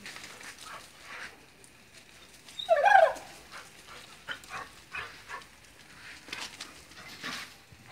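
A Vizsla gives one short, sharp yelp-like bark amid an otherwise quiet room.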